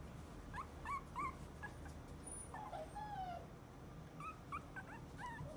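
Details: Yorkshire terrier, likely a puppy, giving faint, thin, high whines. They are short rising and falling slurs, scattered every half second or so, with one longer descending whine midway. A steady low background hum runs underneath.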